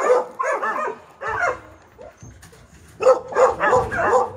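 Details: Very large Newfoundland dog out with its owner at a home center in Japan; harsh barks in two clusters, about two to three per second, with a quieter stretch of background noise between them.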